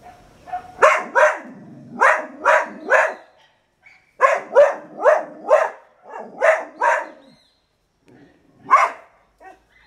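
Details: Moksi, a female dog in Suriname, barks from her outlook spot first thing in the morning to tell the neighbourhood she is there; sharp barks come in quick bursts of two to four, with short pauses between volleys.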